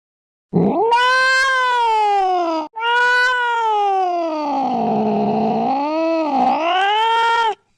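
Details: Cat giving two long, loud yowling meows, the first rising then sliding down, the second drawn out for over four seconds with wavering, dipping and rising pitch, harsh and caterwaul-like; nothing else audible.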